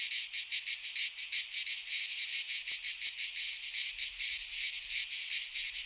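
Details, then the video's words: Cicadas singing in midsummer in a Greek pine forest: a dense, loud, buzzy high-pitched drone, pulsing rapidly about three times per second without pause, with no other clear sounds. "Cicadas singing in midsummer - Nature sounds from the Greek fauna - Sounds of cicadas"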